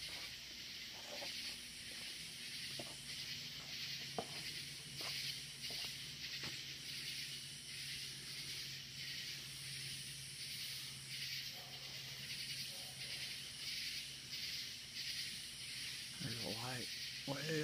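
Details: Night chorus of loud crickets up in the woods outdoors, a continuous high shimmering buzz with a thinner very high pulsed layer coming in bursts every couple of seconds; a human voice briefly at the end.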